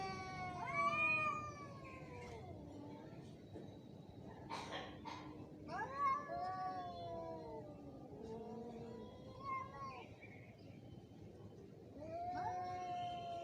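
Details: Angry cat during a fight, with wavering yowls broken by a sharp noisy hiss or spit midway, then more descending moans and a final rising wail.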